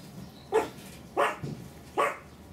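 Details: Male Pomeranian puppies aged 49 days give three short, sharp yappy barks spaced under a second apart.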